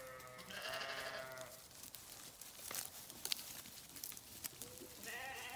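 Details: Sheep bleating: a wavering, harmonic-rich bleat near the start, then rustling and footstep-like clicks, and another bleat beginning at the end.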